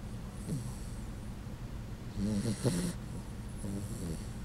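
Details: Penny, a Puggle, snoring while asleep in a very human-like way: a low rasping snore swelling around the middle, with fainter breathy snorts before and after.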